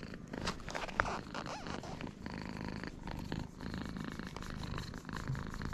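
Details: Purring from a friendly free-roaming cat at a cat island's cat gathering. A continuous low rumbling throb sits under rustling and scratchy broadband handling noises, with a sharp click after one second.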